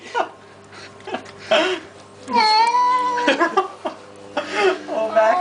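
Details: Baxter the cat complains during his flea bath. Repeated reassuring speech dominates, broken by one sustained, strongly harmonic meow midway and shorter cries toward the end.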